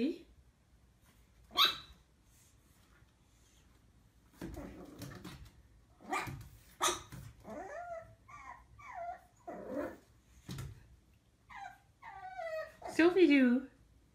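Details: Puppy learning to bark, reacting to its own reflection: scattered short high yips and rising-falling whiny barks grow busier toward the end, ending in a loud yelp, while a woman speaks and calls it over.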